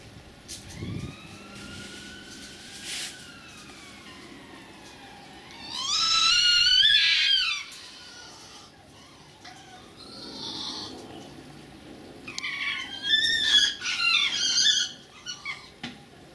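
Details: Two red fox vixens, a younger and an older one, greeting each other in a suburban garden: a thin, long wavering whine at first, then a loud burst of harsh, stuttering high cries, and later a second run of chattering, warbling cries.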